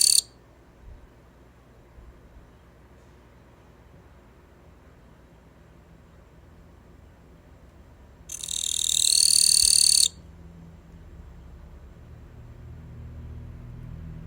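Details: Gampsocleis katydid kept in captivity, newly begun to sing, gives a steady, harsh, high buzzing trill lasting nearly two seconds after a long pause, with a brief trailing fragment at the start and faint indoor hum.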